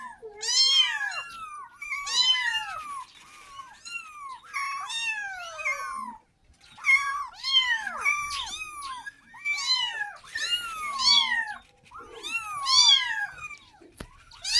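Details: A kitten cries for its mother, wanting milk. Shrill, downward-curving meows come in tight clusters about every two seconds, with a brief silence around six seconds and a faint click near the end.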